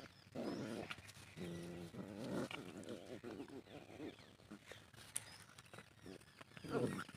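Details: Desi dog puppies fighting aggressively: rough, throaty growls in bursts near the start and middle, with a short growling outburst again at the end, over quiet outdoor background and brief human voices.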